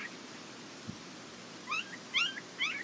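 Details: Whimpering Border Collie pups, Nell x Skeet litter, International Peace Gardens, August 12, 2018: after a quiet start, three sharp squeaky cries bend up and down in pitch in quick succession near the end.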